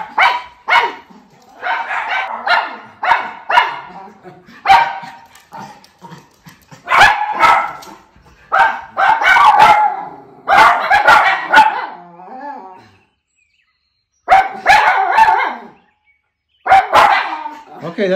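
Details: Two Miniature Schnauzer brothers, just back indoors after time in their yard, break into a noisy chorus: short harmonic yips and wavering howls in bursts, some notes held a second or more, with a brief human voice between.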